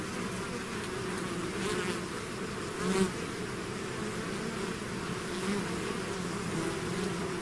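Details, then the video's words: Bees swarm out of the hive in a constant deep humming drone, a single nearby bee briefly louder and sharper halfway through. "bees therapy swarm natural buzzing sound"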